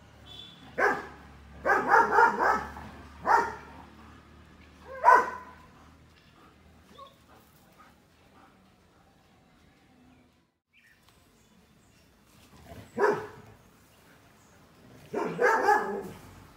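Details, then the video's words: Puppy barks in a quick cluster of several sharp woofs, falls silent for several seconds, then resumes with a few more barks near the end. "Dog | Barking"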